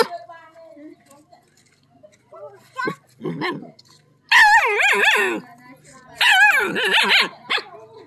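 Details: A dog barking at a snake, which is not venomous; high, harmonic yelping barks in short bursts, loudest around the fifth and seventh seconds, with quieter yips earlier and some speech-like sounds.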